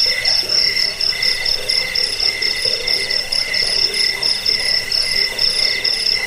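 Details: A recording of crickets used to repel rats, help with sleeplessness and train songbirds, with high-pitched pulsing chirps in quick succession stacked over a steady lower tone and faint rustling noise.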